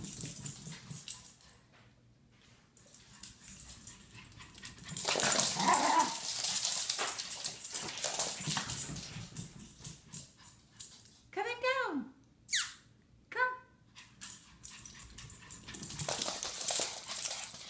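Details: A Chihuahua on a morning run gives a few short, rising, tonal yelps in quick succession midway through, amid rustling, footfalls and broadband scuffling noise.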